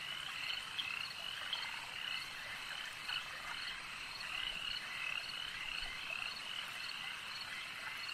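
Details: Many frogs call together at a lake, a dense, steady chorus of overlapping high croaks and trills with brief brighter notes standing out now and then.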